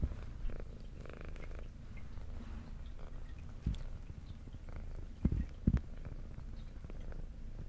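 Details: Brown tabby female cat with a white belly, kept as an indoor pet, purring as she eats: continuous deep rumbling purr with faint rhythmic swells, broken by a few sharp crunching and licking clicks near the end.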